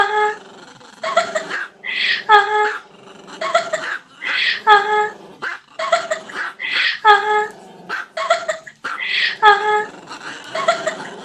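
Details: Dog giving loud, harmonic whining yowls mixed with growly tones, in short phrases repeated about every two seconds with brief silences between.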